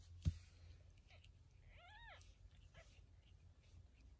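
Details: Domestic cat, a mother carrying her kittens to safety: a single arched, harmonic meow rising then falling near the middle, faint against a low indoor rumble, with a sharp knock just before.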